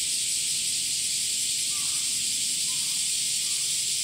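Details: Continuous shrill buzzing of male cicadas on a summer day, even in loudness from start to end, with a few faint short bird chirps.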